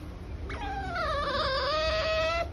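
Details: A captive otter, held under government permission and expert guidance, gives one drawn-out, reedy whine of about two seconds that dips slightly in pitch, then holds steady over a low background hum.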